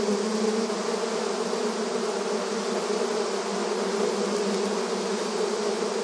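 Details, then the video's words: Honey bee activity at a hive entrance in a rural setting: crowded, even buzzing of many bees, a warm low hum with faint passing wingbeat swells over a steady airy texture. "Bees Buzzing Sound Effect • Beehive Entrance Video Honey Bee Activity"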